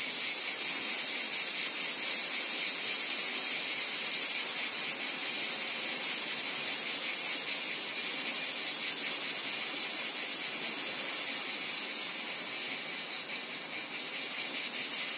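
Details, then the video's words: Wheat field cicadas keep up a loud sizzling drone, high and unbroken, rapidly pulsed throughout, briefly softening and shifting in tone near the end before the full buzz returns. "Cicadas Ambience | Wheat Field Cicadas Background Noise"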